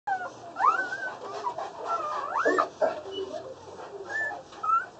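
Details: Newborn Boerboel puppies less than one day old, a litter of six with two males and four females, at a kennel: high thin squeaky whimpers rising and falling, several overlapping through the clip, over a steady background hum.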